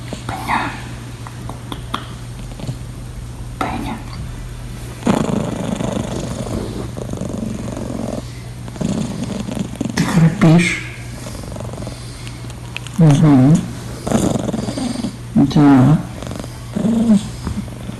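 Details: A blue British Shorthair cat snores softly while sleeping deeply in the morning, a low, rough rasp that returns with each slow breath.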